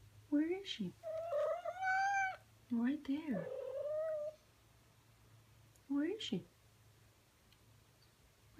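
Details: Persian tomcat calling for a new love he has spotted in an online clip: loud, wailing caterwauls and yowls, several rising and then falling, given in quick bursts before a pause and one last short cry.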